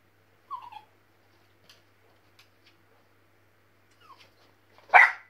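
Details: Indoors, a West Highland White Terrier puppy watching a TV squirrel gives two soft falling whines, then after a pause lets out one loud, harsh bark.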